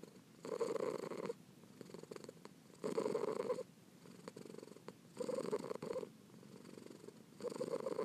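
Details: Pearl, a kitten, purring steadily as a soothing sound for relaxation and sleep: low, rumbling purr in rhythmic bursts of about one second, swelling and fading roughly every two to three seconds, with quieter purring between.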